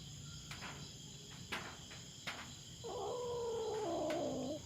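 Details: Wild-living feral cat invading farm cats' territory in the Philippines, facing off with a black cat. Sharp clicks and knocks come first, then a sustained, quavering yowl that wobbles and dips, against a constant insect drone.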